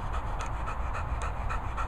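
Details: Border Collie named Brock panting: quick, rhythmic breaths roughly every quarter second, soft and breathy, over a steady low rumble like wind or distant traffic.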